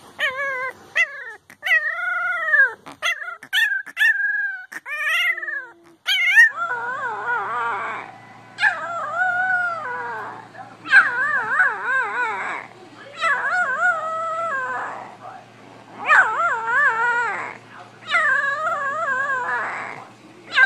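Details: Puppies crying and howling: high wavering harmonic cries, short yips and rising whines early, then longer quavering howls repeated every second or two, with a low steady hum underneath.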